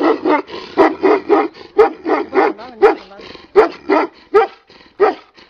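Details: Tibetan Mastiff giving repeated mid-pitched barks, roughly eighty a minute in uneven spacing, some doubled, with a brief whine near the middle.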